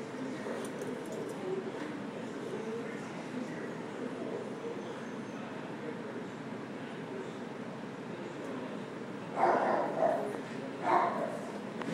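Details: Great Dane, filmed with his baby sister, gives two loud, short barks about a second and a half apart near the end, after a long stretch of steady indoor background noise.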